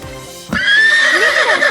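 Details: Horse neighing: a loud, quavering whinny that starts after a short thud and holds a wavering high tone for over a second, with bubbling lower pitch sweeps near the end, over lively background music.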